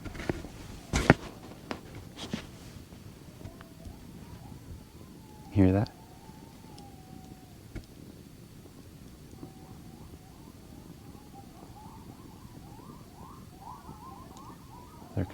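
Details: At night in an isolated wash on the eastern plains, a pack of distant coyotes howl and yip together, voices wavering and quavering in a rising, broken chorus, apparently running in packs from different directions and coming closer.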